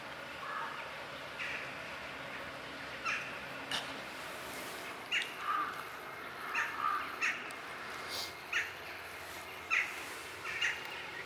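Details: Blue-eyed kitten found in a basement, giving a run of short, faint, high mews in quick succession, some sliding downward, over a steady background hiss.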